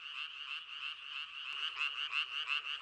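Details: Male Japanese tree frog in Korea, calling with a vocal sac large for its small body: a fast raspy rattling croak of rapid pulses, repeated in quick succession, growing louder toward the end.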